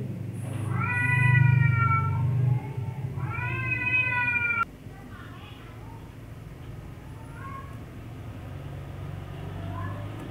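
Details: Teased domestic cat uttering two clear rising-falling meows in the first half, followed by faint distant mews, over a low rumbling hum that cuts off abruptly partway through.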